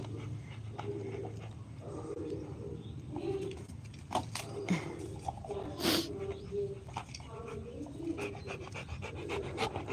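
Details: A Rottweiler panting while playing with a ball: soft, breathy puffs repeating steadily through the clip over a low background rumble, with a sharp click near the middle and a person's quiet voice praising the dog.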